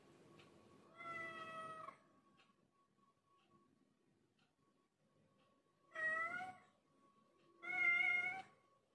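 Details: Village cat, a once-wild adult growing tame and affectionate, winding around legs like a snake: three harmonic meows, the first about a second long, two shorter ones several seconds later, over a faint steady hum.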